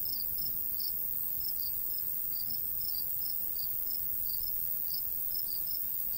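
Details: Summer countryside crickets near golden wheat, chirping in short high bursts, often doubled, repeated roughly every half second, over gentle breeze noise.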